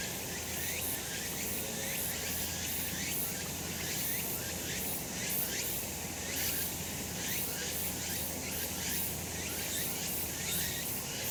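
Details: On a summer mountain in the sun, cicadas keep up an unbroken high buzzing wall of sound, faintly throbbing roughly every second, over a constant low hum.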